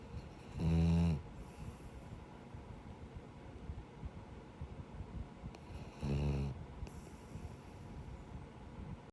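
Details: Jiji, a male rescue Labrador–Schnauzer mix, snores like a person while sleeping: two loud, rasping snores about five seconds apart, each a short rough burst with quiet breathing between.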